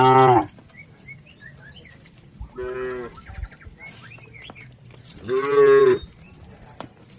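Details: Herd of cattle crossing a river on the way to their livestock pen; three short, rich, harmonic moos come at the start, near three seconds and near six seconds, the last one loudest, with faint bird chirps in between.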